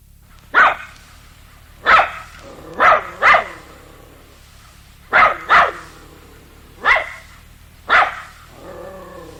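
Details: A dog barking: eight sharp, loud barks over about nine seconds, several coming in quick pairs with pauses between, then a softer whine-like tail at the end, over a low steady background hum.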